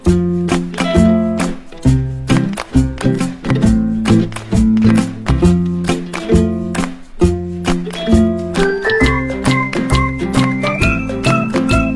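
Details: Upbeat plucked-string music with a strong rhythmic beat and a light melody rising near the end.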